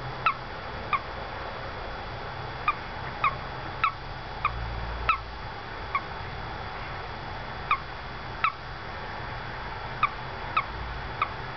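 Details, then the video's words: A little male toad stuck in a house window well peeps: short, sharp, bright chirps come one at a time at irregular intervals, roughly a dozen across the recording, over a faint steady background hum. "Peeping Toad"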